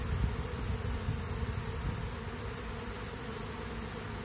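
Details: Western honey bees make a dense, low, steady buzz, many wings humming together with a slight uneven pulse, as a weak queenless colony is robbed by a stronger colony.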